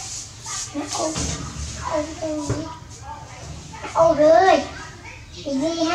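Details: Baby monkey Dewdew calling for its mother while she is busy working; wavering, tonal cries rise and fall in short bursts, one louder quavering wail midway, with background voices and low hum.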